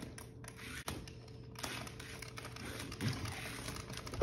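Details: Indoor clicking and rattling from a remote control toy car, with a steady room hum and a few soft thuds; no animal voice.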